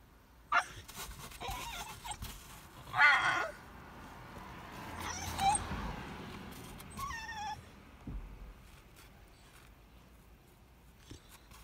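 A Basenji cries in short, rising whines and yelps, repeated every few seconds.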